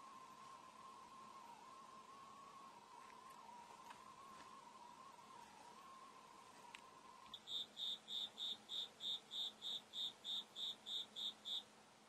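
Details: Cricket calling inside a room while a white house cat watches and listens. A steady hum fills the first seven seconds. Then come sharp, high, evenly spaced chirp pulses, about three per second, clear and regular until the end.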